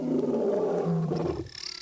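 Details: Wild male lion yawning lazily at the lions' resting place in Africa. A drawn-out, low, tonal groan holds steady and then fades after about a second and a half.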